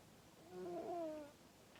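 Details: Scampi, a female pet cat, snoring loudly enough to wake someone; one drawn-out whistly breath that rises and then falls, tonal with a few layered overtones, lasting about a second in a quiet room.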